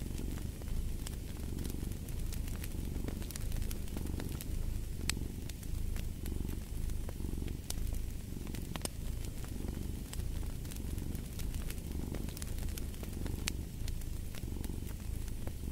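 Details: Steady low purring of a cat next to a crackling fireplace; the rumble swells and fades in even breaths about every second and a half while frequent snaps of burning wood punctuate it.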